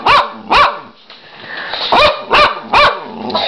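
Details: Domestic dog barking at a person who keeps asking what it is doing: five loud, clipped barks in an uneven series, a short lull in the middle, and soft speech behind them.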